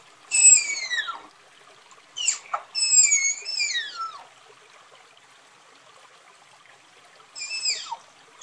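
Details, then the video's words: Shrill, falling whistle-like squeals of a tapir, clustered in a burst of several calls, then a long silence before one more descending squeal near the end. "Tapir Calling Sound"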